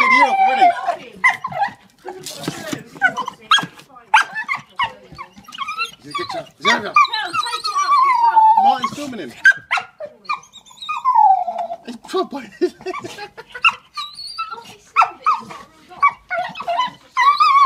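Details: American Staffordshire Terrier, a pet dog, giving high, drawn-out whines that slide downward, repeated between short snuffles. A woman talks to it affectionately and calls it a cute boy.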